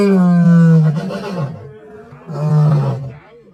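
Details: Lion giving two heavy, deep roars, the first long and strong, then a shorter second roar after a pause filled with low rumbling and breathy noise.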